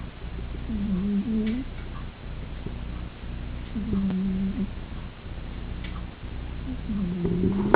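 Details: A snoring Persian cat sleeping by the fireplace, heard across the room: nasal wheezy breaths recurring about every three seconds over a low steady hum.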